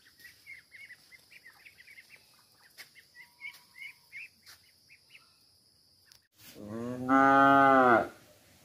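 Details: Real cow mooing on a village farm: background bird chirps and faint ticking first, then one loud, rich harmonic moo near the end lasting about a second and a half.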